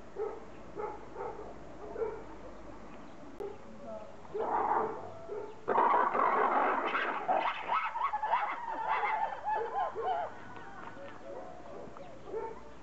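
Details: Red ruffed lemurs (Varecia variegata rubra) at Zoo de Lagos, Algarve, Portugal, in 2014, break into a loud, harsh, pulsing chorus of raucous barks and shrieks after quieter grunts.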